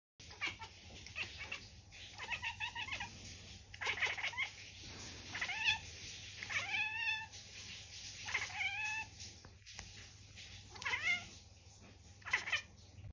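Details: Blue domestic cat reacting to a fly indoors: short, quiet, stuttering chirps and clicking chatters in quick bursts, with several brief rising mews, spread irregularly across the recording over a soft low hum.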